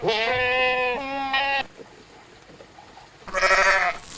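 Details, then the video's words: Sheep on a farm bleating twice: a long quavering nasal bleat lasting over a second and a half, then a quiet pause, then a shorter, harsher bleat. "Sheep farm animal sounds"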